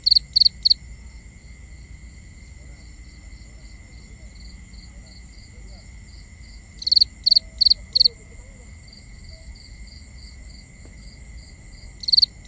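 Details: Crickets chirping at night: short groups of sharp high pulsed chirps separated by long gaps, while a fainter second caller keeps up soft regular chirps and a constant high-pitched insect whine fills the background.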